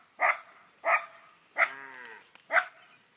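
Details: A Schipperke on a farm giving four short sharp barks at about half-second intervals, one bark trailing into a longer ringing whine.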